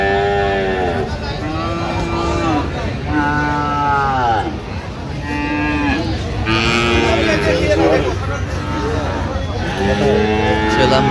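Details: Repeated moos from Friesian and cross-breed bull calves at the Aftabganj cattle market, 30 December: about eight overlapping drawn-out calls, some falling in pitch, from several animals amid a busy crowd of chattering people.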